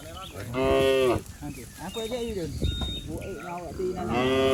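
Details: Cows and bulls running and jumping down a lush green hillside in the countryside; a loud drawn-out moo opens, followed by softer bending lowing calls overlapping, then another strong moo rising at the end.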